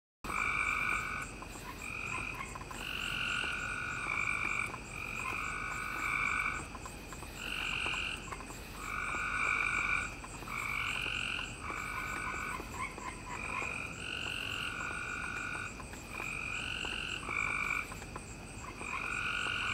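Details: Frogs calling together, recorded on 7/5/2017: a dense chorus of bright, tonal, two-pitched croaks in overlapping bursts every second or two, over a steady high, pulsing background trill.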